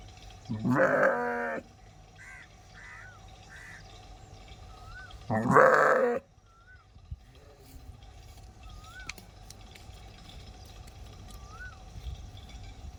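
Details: Sheep giving two loud, tremulous bleats about four seconds apart, each lasting under a second, with faint high chirping bird calls scattered through the quieter gaps.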